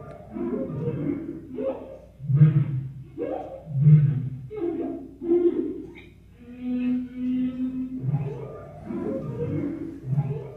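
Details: Whale song sped up fourfold so the song runs through twice: rhythmic low grunting phrases about every one and a half seconds, a sustained hum near the middle, and rougher whooshing, gurgling units.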